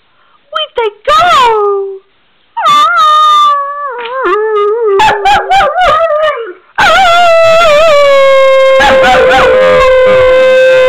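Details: Separation-anxious male Weimaraner left alone, howling in uneven wavering phrases broken by yips, building to a long steady howl at the end while a woman's soothing voice is faintly heard.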